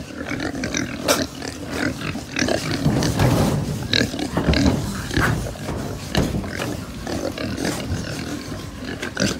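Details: Many pigs on a pig farm in Japan, a dense chorus of overlapping low grunts and snorts with occasional sharper squeals, steady and continuous throughout, with clanks and knocks from the pens mixed in.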